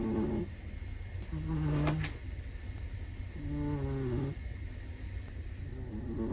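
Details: Chihuahua snoring in its sleep, two drawn-out, nasal, faintly whistling snores roughly two seconds apart, with a constant low background hum.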